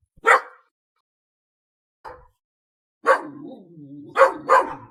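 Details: A dog gives one sharp bark, then a fainter short one after a pause, then a run of three loud barks linked by a low droning rumble that fades at the end.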